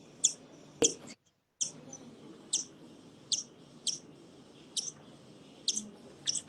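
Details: Bat. Brief, sharp, high-pitched chirps from a bat come in a steady series, each call a quick squeaky burst. A short silent gap breaks the sequence partway through, and the background is otherwise quiet.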